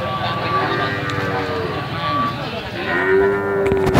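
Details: Calf lowing in a melodious 'hehan' voice: a soft, falling moo early on, then a clearer, sustained tonal moo near the end, with a constant low hum and some clatter underneath.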